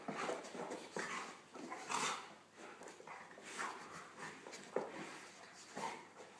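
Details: Golden retriever Nelson plays gently with his little Pomeranian poodle companion Buster; breathy panting and huffing puffs repeat about once a second, with faint scuffles between them.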